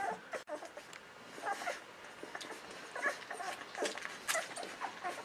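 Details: Golden Retriever pups aged 11 to 13 days giving faint, brief high squeaks at irregular intervals over a noisy, hissing background.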